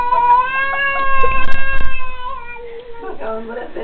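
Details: Silvik, an angry domestic cat attacking its enemy, lets out a long drawn-out harmonic yowl that holds steady for about two seconds, then sags lower and breaks into rougher, softer growling noises.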